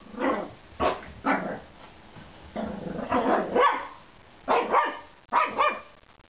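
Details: Ten-week-old female shih tzu puppy angrily barking at her food: a few short high yaps, then a longer rasping growl-bark lasting about a second, followed by more quick, sharp barks.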